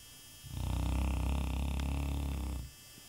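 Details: A happy Shar Pei snores in its sleep indoors, giving one loud, deep, vibrating snore of about two seconds, a fast low rattle that swells and cuts off, with quiet room tone around it.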